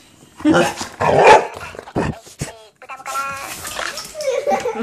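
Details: A golden retriever meets a minion toy for the first time and barks twice in a loud burst. After a pause comes a higher, tonal toy-like voice with stacked harmonics, and a person's voice is faintly present.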